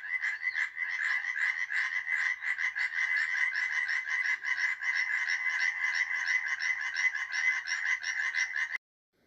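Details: Tree frogs of Poland, dwellers of trees and shrubs, in a dense nonstop chorus of rapid, harsh, clacking croaks overlapping at several per second, ending abruptly.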